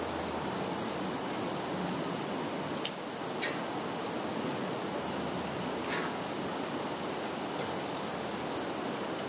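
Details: Insects calling in a Russian field, Zhukovsky district of Kaluga region, 11 September 2019: a dense, even, high trilling drone without pauses, broken only by a couple of faint clicks.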